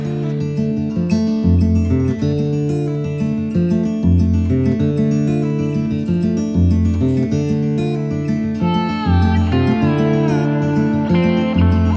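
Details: Strummed and plucked acoustic guitar music with bass plays steadily throughout, with no animal sounds.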